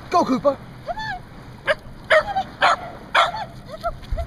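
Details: Corgi named Cooper giving short high yips and whimpering whines, rising-and-falling bursts every half second or so, while a person cheers it on with encouraging words.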